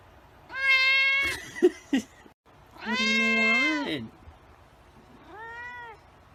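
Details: White cat meowing: three drawn-out, harmonic-rich meows, the first flat and steady, the second longer and sliding downward at its end, the third short and arched, with two soft clicks between the first pair.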